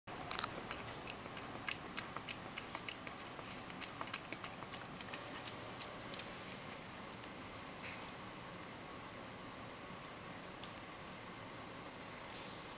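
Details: Mojio, a Ragdoll cat, drinking milk indoors for the first time in a long while, lapping messily: quick soft clicking laps through the first five seconds, then thinning out over a steady background hiss.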